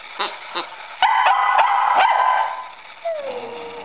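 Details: Indoor scene with one dog barking to get a ball and another whining while restrained, eager to play; a few short barks, a dense stretch of overlapping barking and whining, then a thin falling whine at the end.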